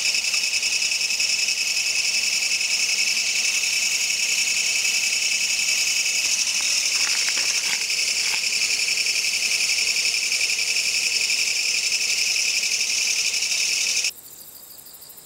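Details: Midsummer night in grassland, a kayakiri katydid calls with a harsh continuous buzz in rapid even pulses, a few faint clicks mid-way, until it cuts off abruptly near the end.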